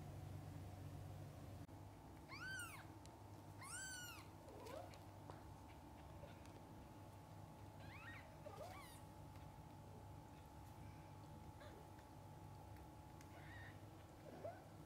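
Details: Kittens with their mother cat, from birth until their eyes open: two strong high arched mews near the start, followed by fainter scattered mews and a steady tonal hum with low rumble.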